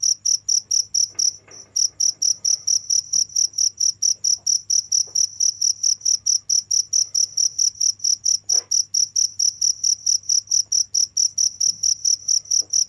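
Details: High-pitched cricket chirping, steady and rhythmic at just over two chirps a second, briefly interrupted early on, with scattered faint knocks against a low hum.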